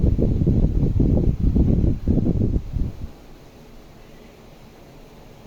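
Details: Low, rhythmic thumping and rustling for about three seconds gives way to quiet room hum.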